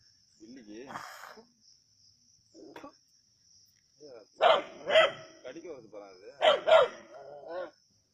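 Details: Native dogs hunting a snake at Keezhadi: loud, harsh barks come in two quick pairs, each two barks about half a second apart, mixed with men's voices talking before and between them.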